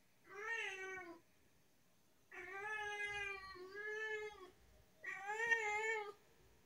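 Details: Chatty tabby house cat indoors meows three times: a short meow, then a long wavering two-part meow, then a rising-falling one, each clear and tonal with pauses between.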